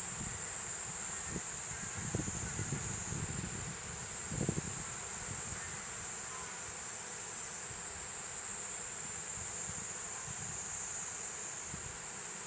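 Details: Continuous piercing drone of the cicada Platypleura kuroiwae, even and unvarying, over soft low rustling and a few dull knocks early on.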